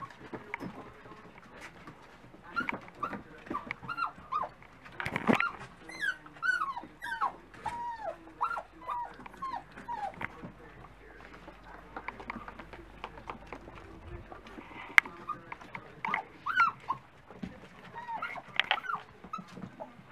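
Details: Dachshund pups at breakfast time keep up a steady chorus of thin, arching whimpers and short yelps, many voices overlapping, with scattered clicks and taps throughout.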